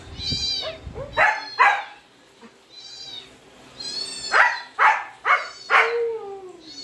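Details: Siberian Husky reacting to dog sounds: sharp broadband barks and high squeaky whines, ending in a drawn-out tone that slides downward; background music faintly present.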